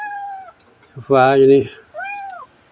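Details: Domestic cat meowing in its new home in Chae Hom, Lampang, Thailand, during a midday rest; two drawn-out, arched meows open and close the moment, with a short burst of human speech between them.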